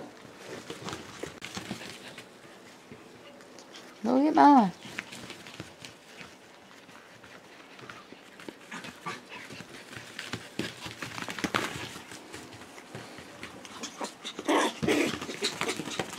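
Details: Five-week-old Schipperke puppies Aaron, Abbey and Annie playing on a porch; one loud, tonal whimper rises and falls for about half a second near the four-second mark, amid soft scuffling, panting and a person talking to the pups.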